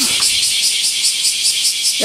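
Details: Bear cicadas in loud summer chorus around the great camphor tree at Daitokuji Park, Nagasaki City, Japan; dense pulsing high buzz, with brief human speech at start and end.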